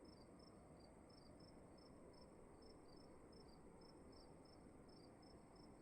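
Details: Crickets chirping indoors in a quiet room, with brief high pulses in an uneven run, some doubled, set against a steady thin high tone and low background hiss.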